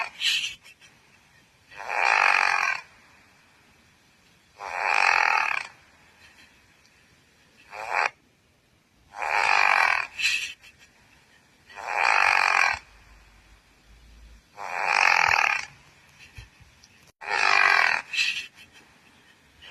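A Pekingese snores with harsh, raspy breaths repeating about every two and a half seconds.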